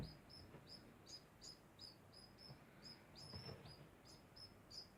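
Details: Quiet, continuous degu chirping: brief high squeaky notes repeated evenly, about two each second, against a faint hiss of background noise.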